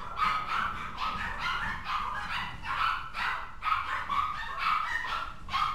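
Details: Maltipoo growing a bit mischievous, barking steadily in short, bright yaps, roughly one per second, with small breaks between runs of barks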